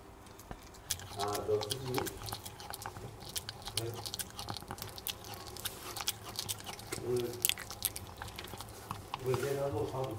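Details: A male Maltese dog, Jamong, chews duck neck bones indoors. Quick crunching and wet gnawing, about three bites a second, while a person talks softly over it at intervals.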